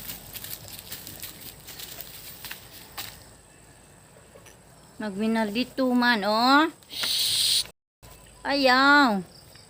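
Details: Domestic goats at their evening feeding give long, quavering bleats with a wavering, vibrato-like tremble. A pair of calls comes close together mid-clip and a third follows near the end, over faint rural background noise.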